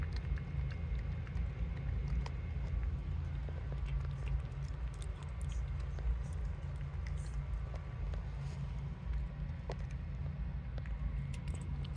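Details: Low steady droning hum with scattered faint clicks and taps, and no animal voice.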